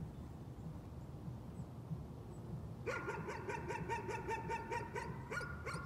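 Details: Dog engaged in nuisance barking: after almost three seconds of low rumbling background, a fast, evenly spaced run of sharp, mid-pitched barks begins, roughly ten in under three seconds, continuing to the end.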